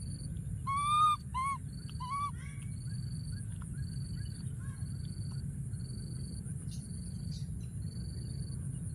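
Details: Wild baby monkey hiding in a thorny tree, calling for his friend: a quick burst of short, clear, rising-then-falling whimpering cries in the first seconds, then only a steady pulsing insect buzz over a low rumbling background.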